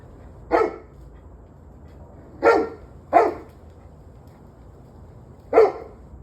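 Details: Dog barking, recorded 21 November 2023 at 7:06 pm: four loud, sharp single barks, the middle two close together, spaced irregularly over six seconds against a quiet low background hum.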